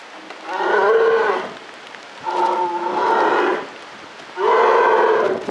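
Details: Three long, hoarse, lowing calls from a captive polar bear at Maruyama Zoo in October 2013, each lasting about a second, the middle one slightly higher and wavering.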